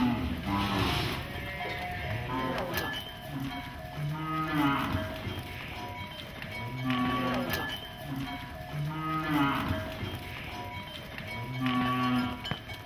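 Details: Many cows released from goshalas running through streets on the outskirts of Nagpur, India; several deep, wavering moos from multiple animals, roughly every two to three seconds, over constant cowbell clanking and faint background music.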